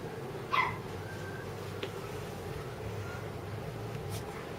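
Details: Female red Shiba Inu, born 5 September 2014, at a pet shop, gives a single short, high yip near the start, then stays quiet over a steady indoor room hum with a few faint clicks.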